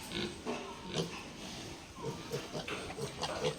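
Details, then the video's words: Duroc pigs on a pig farm, including a new boar: a run of short low grunts and snorts repeated roughly every half second, with a person speaking in the background. "New Boar | Pig Farm | Duroc pig"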